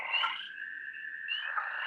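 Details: Spring peepers calling in a backyard in the middle of March, three days after they began: a dense, steady chorus of high, piping peeps that blend into a continuous shrill ringing.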